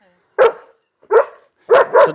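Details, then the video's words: Arthur, a nervous German Shepherd that barks at people and lunges at other dogs, gives three loud barks: two single barks about half a second apart, then a quick double bark. "NERVØS SCHÆFER, GØR AF MENNESKER"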